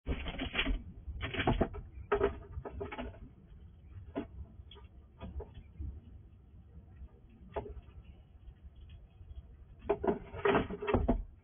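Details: A wild squirrel visits a house at night and quickly eats all the food. Crisp crunching and gnawing clicks come in irregular bursts, with dense clusters near the start and end and scattered single snaps between them, in a quiet indoor setting.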